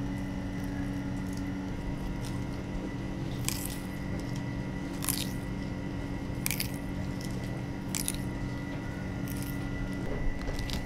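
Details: Radiated and star tortoises feeding at Sunshine Aquarium in Ikebukuro, Tokyo: sharp, crunchy bites and snaps every second or two, set against a steady low mechanical hum from indoor equipment.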